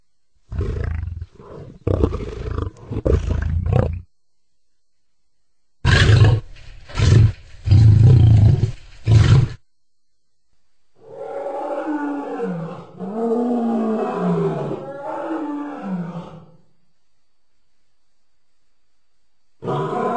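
A lion lets out deep, throaty roars in rough bursts, heavy in the low rumble. After a pause comes a longer, wavering moan that rises and falls before fading.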